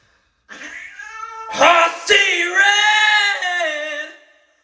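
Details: An angry domestic cat caterwauls with a long, drawn-out, harmonic wailing yowl of about three and a half seconds. It swells in the middle with harsh, rough-edged bursts, then slides downward and fades.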